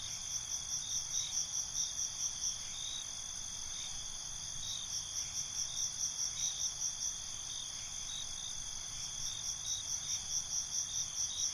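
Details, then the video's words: Crickets chirping after dark, an unbroken shrill trill layered with repeated bursts of rapid pulses that come and go through the whole stretch, over a quiet low hiss. "Cricket Conversations"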